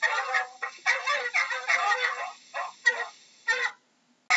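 A fox gives harsh, raspy chattering calls in quick bursts, with short pauses between them.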